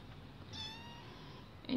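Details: Lokum, a two-month-old female kitten indoors, newly woken and seeking attention; a single thin drawn-out meow, steady in pitch, over quiet room noise, ending with a brief knock.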